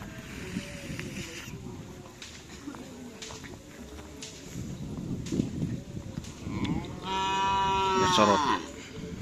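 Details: Madura cattle at karapan sapi bull race training on the Asemanis field, with a long drawn-out harmonic moo near the end rising out of steady crowd and outdoor noise.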